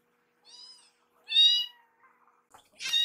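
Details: Two rescued kittens, Yuki and Piyo, follow their foster carer around a kitchen begging for warmed wet food; a thin high meow, then a louder drawn-out meow with rich harmonics, followed by a short sharp noisy sound.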